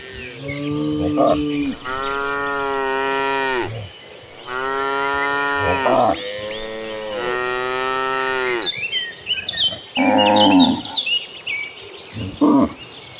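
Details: A herd of cattle running toward green pastures, mooing: several long, loud, harmonic moos, some drawn out for about two seconds, with shorter lowing calls between them and a faint insect chirr underneath.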